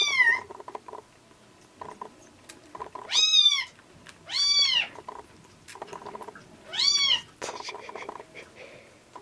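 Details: Bottle-fed rescue kittens, a ginger and a tuxedo-faced bicolor, late in the milk stage before weaning; loud rising-falling mews about every two seconds amid wet feeding sounds and background noise.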